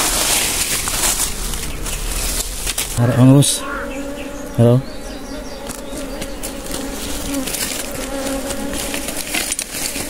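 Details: Wild honey bees during a wild honey harvest: a steady, low humming buzz runs throughout, with two short bursts of a man's speech early on and rustling noise.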